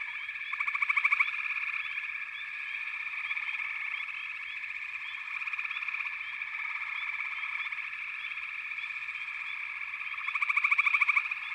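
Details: Many frogs calling together in a continuous buzzing chorus, with bursts of rapid pulsed trilling near the start and end and small upward chirps running throughout.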